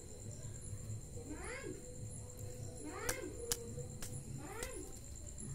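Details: Cat confronting a scorpion, giving three short, quiet mews that rise and fall, spaced about one and a half seconds apart, over a steady low hum, a thin high whine and a few sharp clicks.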